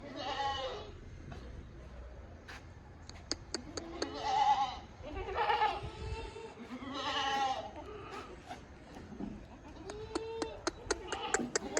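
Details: Sirohi goats, bucks and does at a goat farm, bleating repeatedly: several loud, wavering, nasal bleats with rich harmonics, each about a second long, mixed with sharp clicks and knocks from the farm.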